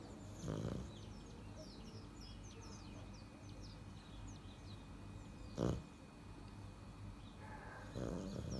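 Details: Little black leopard asleep and snoring like a person: three rough, low, noisy breaths, the middle one loudest, spaced several seconds apart, with small birds chirping high in the background throughout.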